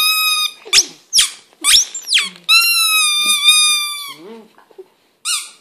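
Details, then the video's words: English Setter howling for the first time indoors: high squeaky whines and yelps, then a long sustained wavering howl lasting about a second and a half, trailing off, with a final short whine. "First Howl"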